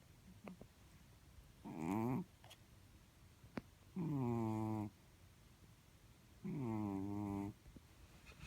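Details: Blue-grey Chartreux kitten snoring in its sleep: three buzzy, droning snores, each about a second long and starting with a pitch dip, come roughly every two and a half seconds, with small clicks and quiet between them.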